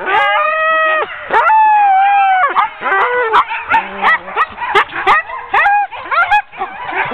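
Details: Ten sled dogs hooked up for an October 2010 training run; a long level howling whine opens, then the team bursts into broken, overlapping yelps, short barks and rising whimpers from several dogs at once.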